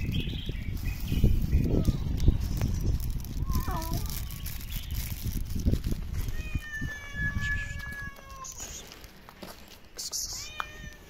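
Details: Eleven hungry street cats begging for food together: a few short wavering meows, then a long, flat, sustained meow and a rising cry near the end, over heavy low rumbling and handling noise.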